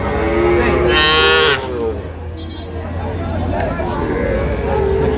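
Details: Sahiwal bull calf cattle in Gazipur, Bangladesh, where farmers are buying them, recorded 8 May 2025: a loud, bright harmonic moo lasting about half a second, then a lower murmur of crowd and background noise.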